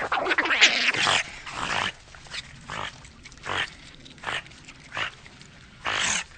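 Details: Eurasian otter calling in a string of sharp, raspy squeaks and chirps, a shrill twittering start followed by evenly spaced short bursts about every half second.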